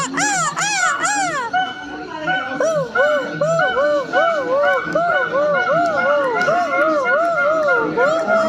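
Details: Silvery gibbon: a quick flurry of sharply arched high notes, then a long, even series of wavering, bouncing hoots, roughly three per second; a low background hum throughout.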